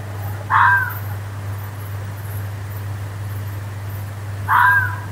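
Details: A fox screaming in a forest gives two hoarse, drawn-out screams about four seconds apart over a low, steady hum.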